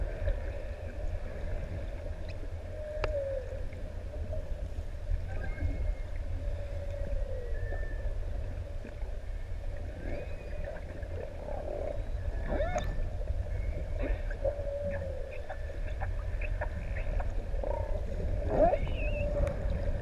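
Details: Humpback whales singing off ʻEua, Tonga, while six adults play near swimmers in open sea; faint repeated moans at a steady pitch with occasional upsweeps, largely under heavy low water rumble.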